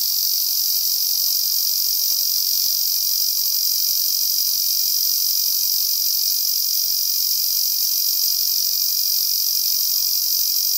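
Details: Male Ezo cicada singing in cloudy weather during a season of heavy rain: a loud, steady, high-pitched shrilling drone with a fast regular pulsing throughout, no pauses.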